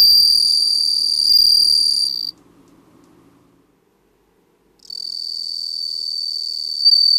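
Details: Ringing, high-pitched trill of a bell cricket filmed for a Japanese stock library, sung steadily for two seconds, then a silent gap of about two and a half seconds before the bell-like song resumes.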